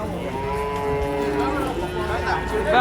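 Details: Cattle from a herd being unloaded off a truck, giving a long, steady, droning moo held for about two seconds, with men talking nearby and faint vehicle noise in the background.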